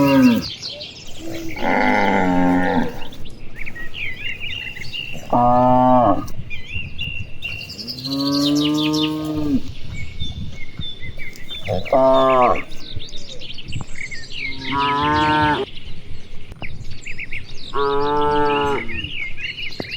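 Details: Cattle, dozens grazing and playing across wide rice fields in the afternoon, calling to one another: repeated long, deep moos from several animals, each lasting about a second, over steady chirping of birds in nearby trees.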